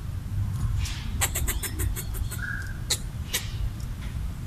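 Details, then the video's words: Territorial red squirrel, eating coconut bits, chatters to drive off a person nearby: a quick burst of dry clicks, then a few spaced ticks, with steady low-frequency rumble underneath. "Red squirrel chattering while eating coconut bits"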